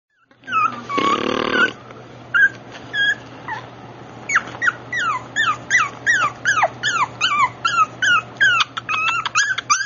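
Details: Brussels Griffon puppy with a black rough coat, AKC registered: a long squealing whine, then a run of high, thin whimpers that slide downward, each short and repeated several times a second in an uneven series, in a quiet indoor setting.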